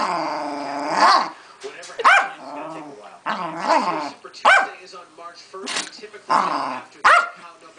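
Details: Pet female Keeshond in a tantrum, producing short arched howl-whines and grumbles, roughly one per second, each bending up then down in pitch, with a woman's voice in the background.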